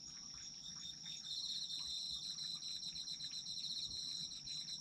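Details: Autumn insects calling together: a continuous piercing trill plus a quick pulsed chirping that grows louder after the first second and keeps a brisk, slightly uneven rhythm to the end.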